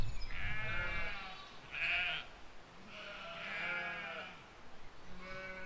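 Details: Sheep and lambs grazing in a field, filmed in spring 2020: four quavering, nasal baas follow one another about a second apart, some overlapping, against a quiet background.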